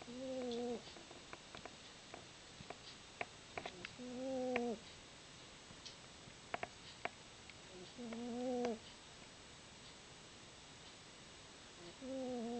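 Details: Overweight female domestic cat snoring while asleep: droning, slightly rising harmonic breaths of under a second each, recurring about every four seconds, with faint clicks and soft room noise between them.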